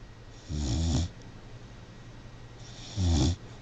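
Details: Sleeping puppy snoring: two low, rumbling breaths about half a second long, spaced roughly two and a half seconds apart, over a faint steady hum.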